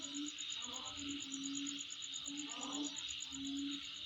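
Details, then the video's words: Insect calling near a home: constant high buzz with a rapid pulsed trill, overlaid by several short low humming notes and brief mid-pitched sweeps. "Sound Of Insect In My Place"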